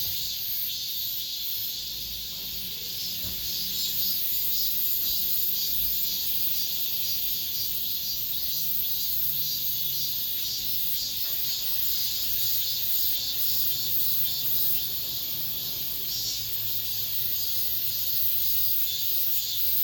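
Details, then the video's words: The final cicada song of the summer in an apartment complex: a wall of shrill, sustained buzzing with slow rises and falls in loudness over twenty seconds, plus a quiet low hum beneath. "올 여름 마지막 매미소리"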